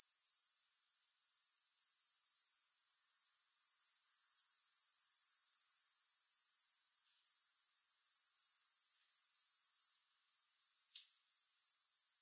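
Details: Soothing grasshopper sounds without music. A bright, high-pitched pulsed chirr, roughly four pulses a second, drops away briefly near one second and again near ten seconds, then resumes steadily.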